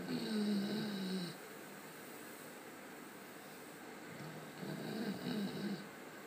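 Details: Sleeping Labrador Retriever named Thor snoring through a nap. Two rough, droning snores about four seconds apart, each around a second long with a wavering low hum and a breathy upper rasp, separated by soft background hush.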